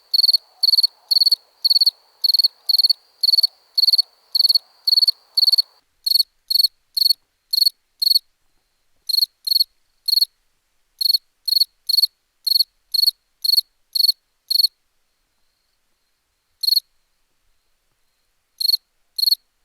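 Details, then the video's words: Cricket chirping: clear, high, ringing pulses in a steady fast series for about six seconds, then sparser and irregular with growing gaps, ending in scattered single chirps. A faint low murmur is heard only at the start; otherwise silent. "Cricket sound"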